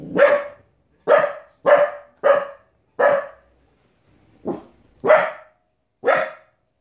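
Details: A 15-week-old Border Collie pup reacting to animals on TV with a fast burst of sharp barks, several close together, one softer bark, then two more, some with a slight growly undertone.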